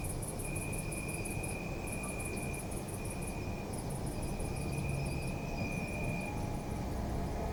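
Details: Night crickets in an urban park, captured with a Zoom F3 recorder. Shrill pulsed trills come in bursts of one to two seconds, separated by short pauses, over a continuous thin tone and heavy low-pitched traffic hum.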